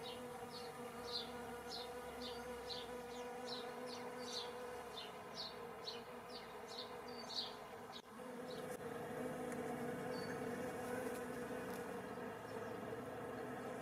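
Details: Bees in spring 2017, a steady low droning buzz with layered overtones that grows fuller after eight seconds, while a bird's quick repeated high chirps run through the first eight seconds.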